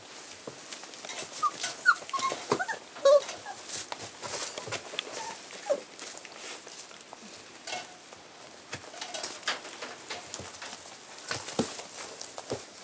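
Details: Rough Collie puppies aged 37 and 38 days, born 28 and 29 January 2010 and recorded indoors on 7 March 2010, give brief thin high whimpers, mostly early on, amid many dry clicks and scratching sounds.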